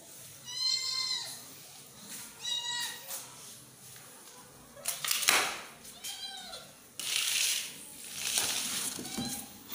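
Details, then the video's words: Kitten meowing while its mother cat protects it, giving high, drawn-out arched meows in short bursts, broken by loud rustling and handling noise bursts. "Kitten Voice | Mother Cat Protect her Kitten | kitten meowing"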